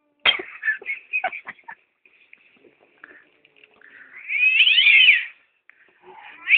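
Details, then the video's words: Domestic cat on the attack: harsh broken yowls and hisses in the first two seconds, a near-silent gap, then a long loud wavering wail arching high and falling, ending with another rising cry. "Cat's Attack Ringtone!"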